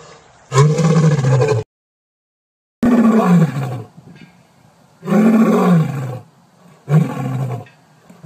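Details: Lion roaring in four loud, drawn-out bouts, the first and second separated by total silence, the later ones by quiet stretches; each roar is a deep, rough bellow with a slightly rising then falling tone.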